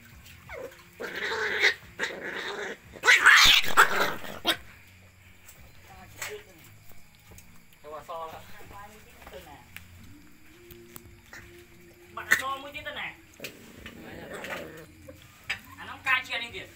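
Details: Feeding puppies produce scattered short whimpers and squeaky yelps among bursts of rustling and eating noise, with quieter stretches and people's voices in the background.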